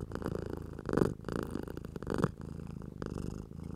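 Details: House cat purring while a person strokes it, a steady low rumbling purr in pulsing waves, with louder swells near one and two seconds and soft rustling from the stroking.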